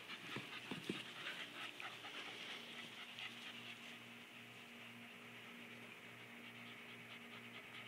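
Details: Border collie panting during play with a borderjack, fast even breathy huffs about two or three per second, with a few soft thumps early on and a low steady hum behind.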